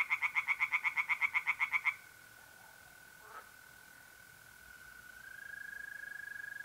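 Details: At night in mid-April by a pond in north-east Italy, a tree frog gives a fast series of loud, regular pulsed croaks for about two seconds, then stops, leaving the steady continuous trill of mole crickets.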